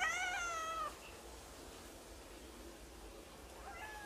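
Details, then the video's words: Young Turkish Angora cat calling at home after its favourite caretaker went to hospital; a strong falling meow for almost a second, then quiet room tone and a faint short meow near the end. "오빠집사를 지독하게 따라다니는 스윗한 고양이 봉봉이!"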